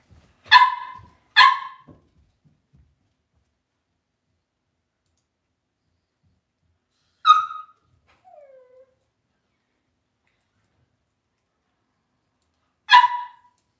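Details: Cavalier King Charles Spaniel puppies in an indoor home puppy pen; two sharp yapping barks in quick succession, a lone bark several seconds later, a faint falling whimper, then one more bark near the end, with silence between.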